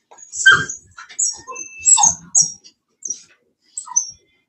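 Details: Cane Corso, the Italian Mastiff breed, kept by a Tennessee breeder, whimpering in short, scattered high squeaks separated by pauses, growing sparser and quieter toward the end.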